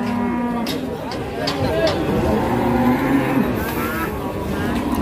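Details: Cattle at a cattle market after a long truck journey, tired on arrival; a low drawn-out moo with steady harmonics, with people talking, vehicle noise and background music.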